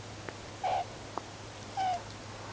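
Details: Wild, free-living meerkat group grooming and huddling at sunset before sleep, recorded from a low angle. Two short, level, tonal calls about a second apart over a steady low hum and faint clicks.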